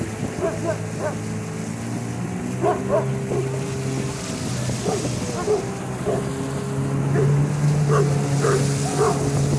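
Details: Central Asian Shepherd Dog at a lake, giving short sharp barks in small irregular bursts over a constant droning motor hum.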